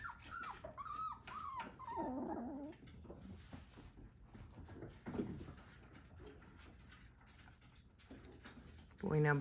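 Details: Three-week-old Whippet puppies from a Minx and Oscar litter, indoors: a few high whimpers with bending, sliding pitch in the first seconds, then quieter shuffling and soft low sounds, ending in a brief loud squeal.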